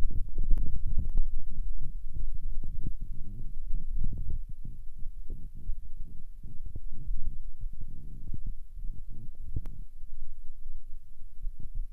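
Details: Only low rumbling and irregular thumping handling noise, with no animal voice.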